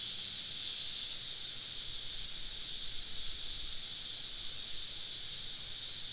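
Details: Evening summer chorus of cicadas surrounding a camp deep in southern woods: a steady, sizzling high buzz with almost no rhythm, with faint low rumble underneath.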